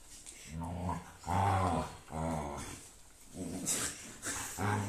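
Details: Pet Siberian Husky grumbling indoors while its paw is being shaved. It makes low, rumbling growl-moans in about five pulses, each lasting about a second. People talk quietly nearby.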